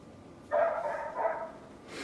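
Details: A neighbour's dog gives two long, strained barks that run together, the second a little higher than the first, against a quiet backdrop.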